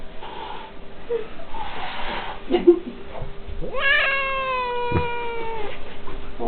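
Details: Domestic cat Silvik, angry and attacking its enemy, lets out a sudden rising yowl that swoops up, then holds a long wavering tone for nearly two seconds, after quiet Czech speech and a few soft knocks in a small room.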